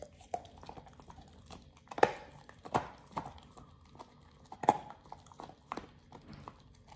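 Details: Raw ostrich paw being chewed by Oliang the Pit Bull on his first try with it: spaced crunches and snapping bites every second or two, a few louder cracks standing out over a quiet background.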